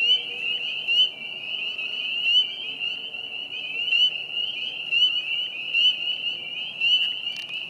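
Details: On April 25, 2020, at Vernal Pond in Hillside Park, a dense spring peeper chorus of countless high, clear overlapping peeps forms a continuous ringing wall of sound.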